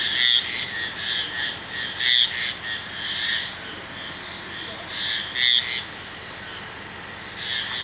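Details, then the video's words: Marbled tree frog calling: short, high, tonal notes repeated at irregular intervals, a few louder accented chirps standing out, over a constant high insect-like hiss. "Marbled Tree Frog"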